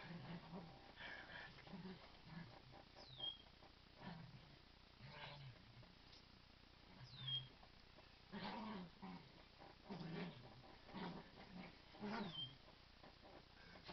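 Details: Playful growling from Rosie and Chilli Bob wrestling over a duvet, with Basil nearby; short low growl bursts repeat every second or two, alongside thin high squeaks and rustling bedding.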